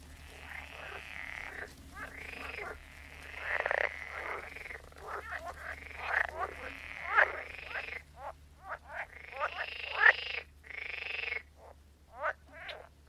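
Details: Croaking frogs calling in overlapping, rasping bursts, some long and droning, others short and clicking, forming an uneven chorus over a steady low background hum.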